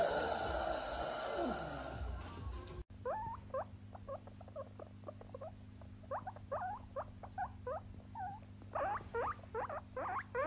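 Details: Pet guinea pig giving rapid bursts of short chirping squeaks and chutters, clustered in uneven runs over a steady low hum; music plays during the first three seconds before cutting off.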